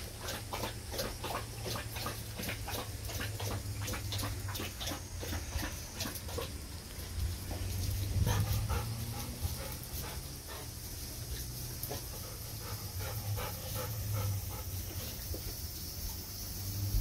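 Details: Panting Golden Retriever, one of two named Kohaku and Ibuki, happily nearing the room at the end of a hot daytime walk; fast, uneven breathy pants, roughly three a second, over a constant high-pitched insect hum and soft low rumble.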